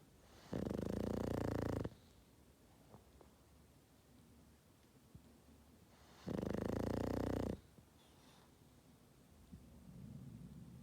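A Boston Terrier snores in two long, rattling, low breaths several seconds apart.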